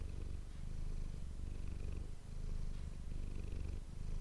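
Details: Domestic cat named Manis purring, recorded indoors on an ASMR microphone: a steady low rumbling purr with pulsing bands under 200, swelling on each breath in long waves, no other sounds.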